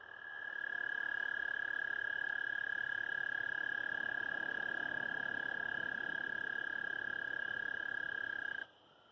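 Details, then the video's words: American toad (Anaxyrus americanus) giving its mating call: one long, steady, high-pitched musical trill held evenly for about eight and a half seconds before cutting off abruptly, with faint background hiss. "American Toad mating calls"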